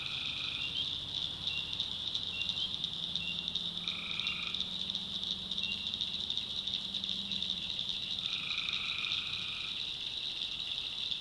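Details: Tree frogs at night in a North Carolina swamp, a constant shrill trilling chorus overlaid by brief nasal two-toned calls at irregular intervals and a soft low hum beneath.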